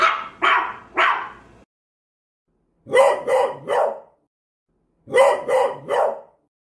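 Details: Barking from small pet dogs, a cocker spaniel, a maltese and a beagle: three rough barks, then two quick triplets of sharp, higher barks separated by about two-second pauses.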